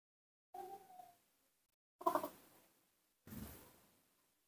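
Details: A newborn baby monkey calling in a sweet little voice, happy to see its milk: a short, thin, slightly falling tonal cry, then two brief louder noisy bursts with clattering handling sounds.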